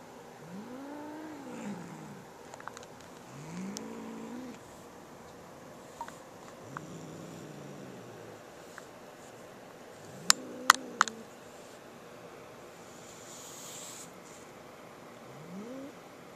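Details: Boo, a cat unwilling to share his new feather toy with sister Molly, keeps up a series of quieter, short arching growls about every two seconds in a small room, with a few sharp clicks near the middle.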